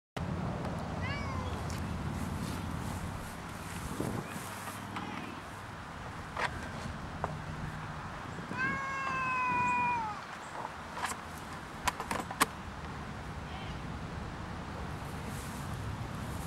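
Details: Cat in a park; a drawn-out, wavering harmonic meow around the middle, with a few shorter faint cries earlier, over steady outdoor background noise and scattered clicks and knocks.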